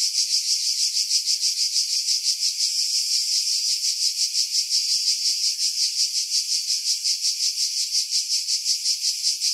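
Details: Chorus of cicadas in pines above Pefkos Bay on Skiros, Greece, July 2018, recorded on a Sony RX3 with external mic: a steady shrill rasping drone, pulsing roughly three times a second, with no other sounds.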